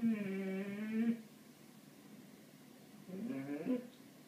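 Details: Indoor cat Ralph, fixated on birds, lets out one steady meow of about a second, then after a pause a shorter, rising and falling chirpy meow.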